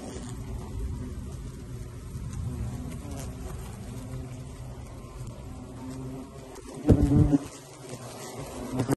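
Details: European hornets fill the air with a steady low droning hum from many wings at their nest built inside a beehive.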